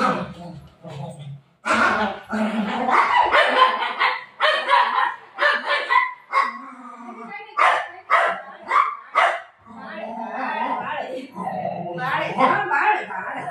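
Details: Pet dog indoors at home barking in bursts of sharp, harmonic yelps, mixed with a woman's voice talking and calling to it throughout.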